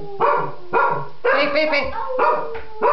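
A Cocker Spaniel howls in a series of wavering, tuneful bursts, each rising and falling.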